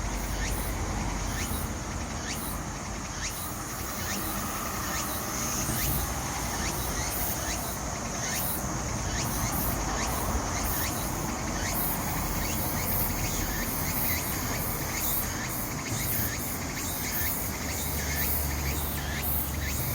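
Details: Cicada song of the tsukutsukuboshi at Ozasa Kita Park, Japan, loud and dense: rapid rhythmic hissing pulses repeated throughout, layered with a steady high insect drone and low traffic-like rumble.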